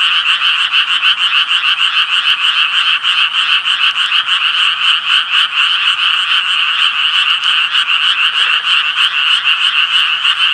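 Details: Chorus of Japanese tree frogs, loud and continuous, rapid raspy croaks repeated around three times a second with overlapping callers keeping the sound unbroken.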